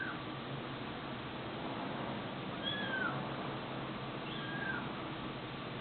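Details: Domestic cat or kitten meowing twice, each a brief bending cry, the first near the third second and the second a moment later, over constant background hiss.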